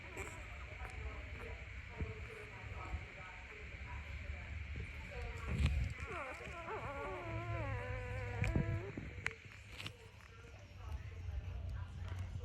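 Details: Puppy crying in the morning: wavering, whiny tonal cries sliding up and down in the middle of the recording, over steady low hum and background noise with scattered clicks.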